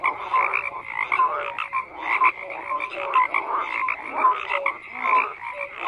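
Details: A dense frog chorus of overlapping croaks, many callers at once, with short tonal notes and raspy pulses repeating roughly once a second over a steady background.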